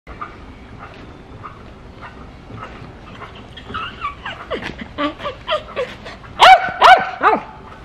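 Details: Dogs barking and howling: a run of short barks building from faint to loud, about 150 per minute, the last few sharp and harmonic near the end, over a low steady background.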